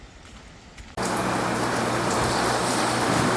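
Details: Faint room tone gives way abruptly to loud, steady broadband rushing like rain or traffic, with a low electrical hum underneath and no animal calls.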